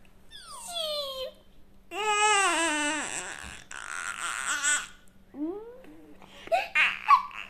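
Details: An alpaca gives a string of nasal, humming whines that slide downward and waver, almost like a voice.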